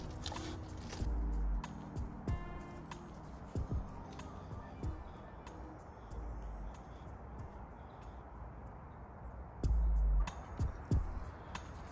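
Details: Music plays throughout, with a few spoken words, soft clinks and low engine-like rumble, and no animal voice.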